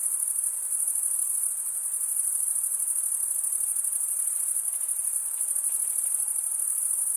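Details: Crickets, male insects stridulating by running one wing across the toothed vein of the other, give a steady, dense high-pitched trill that never pauses; no other sounds stand out.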